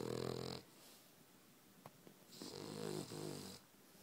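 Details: Pet dog Molly, dreaming, snoring like a pig: a snore ending, a pause with faint soft snuffles, then another drawn-out rattling snore over about a second, in a small indoor room.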